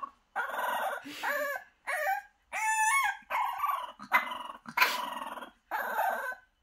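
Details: A French Bulldog puppy in the morning howls in a series of short, wavering, whiny cries, protesting at being confined in a box while her pen is cleaned. French Bulldog.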